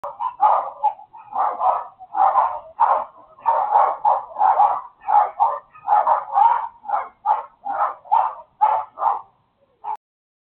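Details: Neighbour's dogs barking nonstop: a rapid run of about twenty sharp, mid-pitched barks, spaced roughly half a second apart, steady in loudness and rhythm, ending with one last isolated bark after a short pause; no other sounds.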